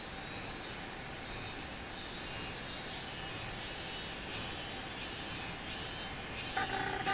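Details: Robust cicada singing, recorded 24 July 2016. High droning buzzy phrases repeat in a steady chain, roughly one every two-thirds of a second. A constant hiss continues throughout, and a brief clatter comes near the end.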